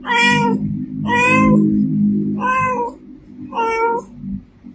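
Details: Four long, full-toned meows from a female domestic cat, each sustained and slightly falling, spaced about a second apart over a steady low hum.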